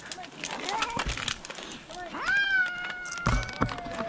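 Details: A rescued cat lets out a long meow that rises sharply and then holds a steady, slowly falling tone for nearly two seconds, over quiet human speech and a few thumps.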